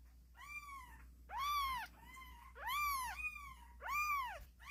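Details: Little kittens mewing insistently: four or five arched, rising-then-falling cries in quick succession, clear and harmonic, with a faint low hum underneath.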